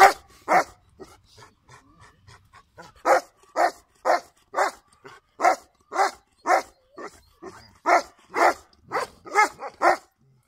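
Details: Golden Retriever, a family dog, barking in sharp, clipped woofs, mostly spaced about half a second apart in runs, with a quiet pause early on and faint softer sounds between barks.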